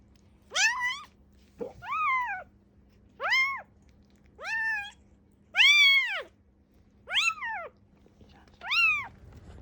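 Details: Young rescued kitten Ame, estimated three to seven weeks old, calls affectionately and hungrily: seven loud, drawn-out, arching meows, each rising then falling, spaced about a second apart, in a quiet indoor setting.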